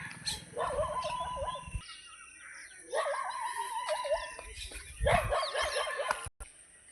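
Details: Labrador Retriever dogs, described with their pups and mother, excited on a morning walk: long wavering, warbling whines in three drawn-out bouts, with a person's voice and faint bird chirps in the background.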